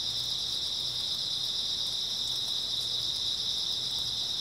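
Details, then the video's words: Many grass insects shrilling together on an early autumn night, an even, sustained high ringing drone, plus a soft low hum that comes and goes. "초가을 밤부터 새벽까지 백색소음 풀벌레 소리"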